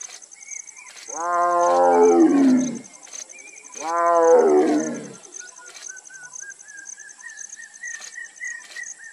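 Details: A tigress gives two deep, harmonic-rich calling roars in Nagarhole National Park (Nagarhole Tiger Reserve), India, each dropping in pitch over about two seconds.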